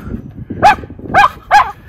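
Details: Three sharp, bright barks in quick succession, about half a second apart, from the Miniature Schnauzer brothers Lucky and Levi playing in a deep February snowpack in their yard, Aroostook County, Maine, 2023, during spring snowmelt.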